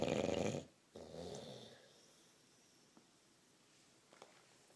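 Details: Sleeping bulldog snoring: one loud, rough, rattling snore, then a softer breathy intake, followed by near quiet with a couple of faint clicks in a small room.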